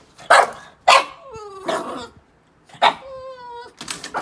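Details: Boston Terrier overly excited to play, letting out sharp yipping barks that slide into high, falling whines, about four loud bursts in quick succession, with a woman speaking Hungarian before it.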